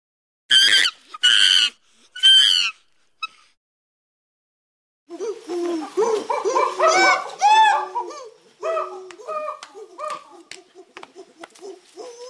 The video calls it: Sounds of chimpanzee monkeys